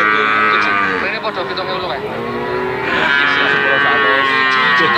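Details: A group of Brahman and Limousin calves mooing continuously, long harmonic bawls with arching pitch contours overlapping from several animals, a brief dip in loudness then a strong sustained chorus of moos.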